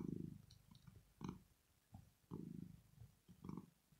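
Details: Rosetta, a sleeping female cat, purrs in pleasure and relaxation. Deep throbbing pulses swell and fade with each breath, four main bursts with softer rumbles between them, indoors and otherwise quiet.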